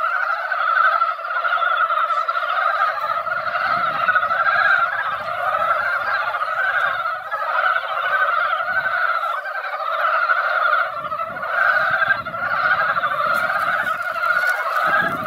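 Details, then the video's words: Chorus of many mountain frogs crowded into a mountain pond after a light rain that barely wet the ground: steady, rattling croaks layered without pause, with soft low rumbles now and then beneath. "산개구리 노래"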